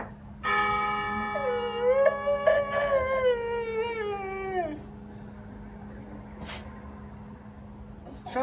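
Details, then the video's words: A dog howls in response to a ringing church bell: a long, wavering, drawn-out tone that slowly falls over about three seconds, over the bell's ringing, resonant strike and its fading overtones. "Собака воет на звук колокола"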